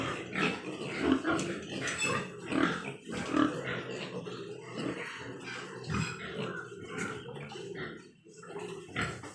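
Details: Large White Yorkshire pigs kept on a farm at Nadia, West Bengal: low, throaty grunts and snorts, some short squeals, coming in loose bursts from several animals at moderate loudness.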